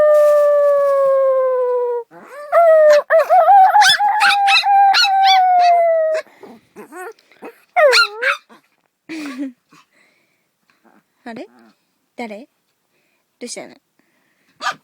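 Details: Dog giving long, steady harmonic howls that slide slightly downward, one lasting about two seconds and another about four, followed by a string of short, rising and falling yelps and whines that grow quieter and sparser toward the end.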